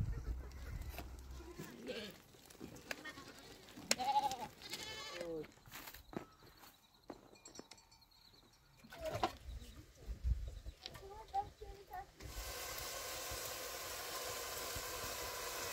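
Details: Nomadic family's goats, purchased to supply milk and yogurt at their mountain home, bleat in short quavering bursts around the middle, among scattered voices, handling noises and a steady hiss toward the end.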